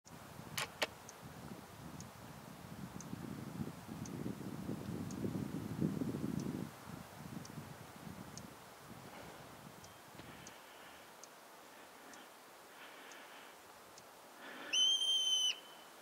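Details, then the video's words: Marmot at Mount Rainier giving one loud, high, bird-like whistled scream with clear harmonics near the end, after a stretch of wind and low rumbling background noise. "Mt. Rainier Screaming Marmot"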